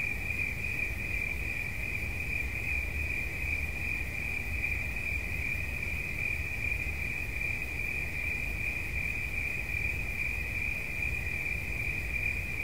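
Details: Cricket chirping in an unbroken, shrill, rapidly pulsed trill at one steady high pitch, never pausing, over a low background rumble.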